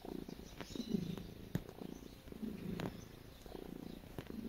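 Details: Pet cat kneading and purring, a steady low rumble swelling and fading in breath-long pulses, broken by a few sharp ticks and taps from its claws working the surface.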